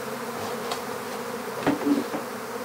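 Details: Steady droning buzz of a honeybee swarm as it is gathered into an empty hive, broken by several sharp knocks and taps, one loud pair near the middle.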